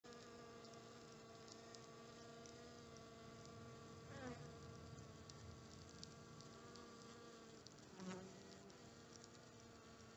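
A swarm of honey bees hums with a steady, droning buzz that rarely changes in pitch.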